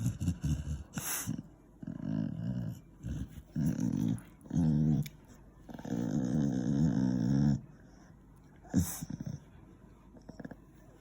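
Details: An 8-year-old male Beagle grumbles and groans in low, throaty bursts, some brief and some drawn out, while getting his ears cleaned.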